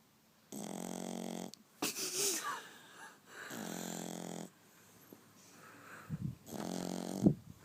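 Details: French Bulldog. A French Bulldog puppy snores heavily, each inhale a buzzy, rattling drone of about a second with short pauses between. Softer snuffles and a small squeak fall between the louder breaths, in a quiet room.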